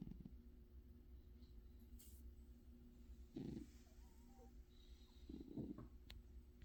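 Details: A sleeping cat gives two quiet, low snoring breaths a couple of seconds apart, grainy and rumbling, under a continuous faint low-pitched drone.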